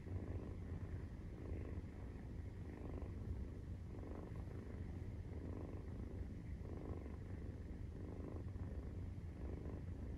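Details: Maine Coon kitten, 43 days old, purring while nursing: a steady low rumble with soft rhythmic swells about every second, broad and even throughout, with no other sounds.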